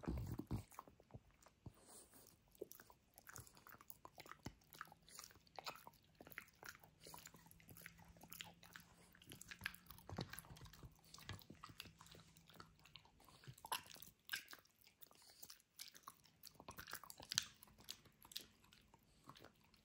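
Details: French Bulldog Benedict chomping through his dinosaur toy in close ASMR recording: rapid, crackling bites and crunches pile up densely, with a faint low hum in the background and a brief lull near the end.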